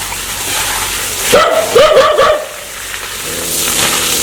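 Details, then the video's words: Dog said to be aggressive and wanting to bite: a short cluster of three or four sharp, yelping barks in the middle, over steady background hiss. "Sound Dog want to Bit"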